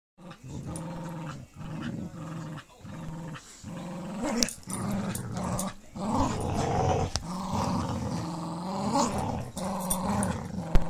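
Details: Pit Bull Terrier Lucy playing tug with puppy Clyde, letting him win, recorded on a phone in low light: low rumbling growls come in bouts of about a second with short gaps, rising in intensity toward the end.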